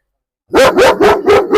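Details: Provoked German Shepherd at a house in Perumbavoor during a dog challenge, goaded to bite. A rapid, loud run of four harsh barks in quick succession after a short silence.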